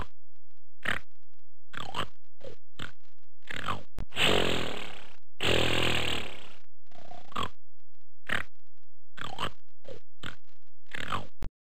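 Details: Gorilla giving a series of short, rough grunting bursts spaced a second or so apart, broken by two long, loud, harsh roaring blasts in the middle, with a faint low hum beneath.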